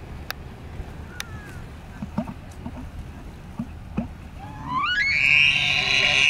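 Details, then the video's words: Bull elk in Yellowstone during the rut, filmed at Mammoth Hot Springs and along the Madison River, bulls hyped up: scattered clicks and knocks, then a whistled bugle sliding steeply upward into a loud, sustained high squeal with rich overtones. "Bull Elk in Yellowstone During the Rut"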